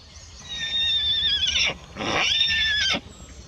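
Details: Two long, quavering neighs from a tethered pony father kept apart from his mare and newborn filly next to him in the paddock, each lasting over a second, shrill and wavering, separated by a short pause and ending in a dropping break.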